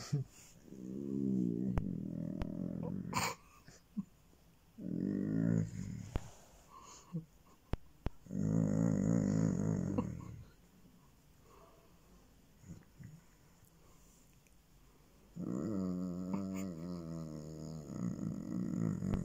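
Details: Basset Hound voicing pleasure while being petted, gradually powering down: a series of low, rumbling groans in four bursts of one to three seconds separated by quiet pauses, the last one wavering.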